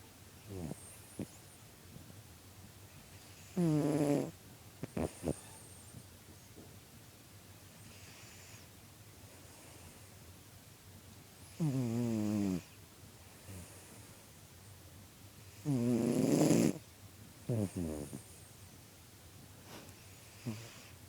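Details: Domestic cat snoring while asleep, recorded September 22, 2013: three loud, rasping snores a few seconds apart, each a buzzy rumble lasting about a second, with soft clicks and quiet breathing between.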